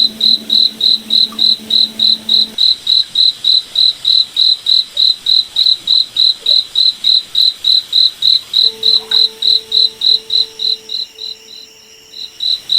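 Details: Cricket chirping at night in a moonlit forest: steady pulses of a high, pure chirp about three and a half per second, fading and faltering near the end, with faint low humming tones in the background.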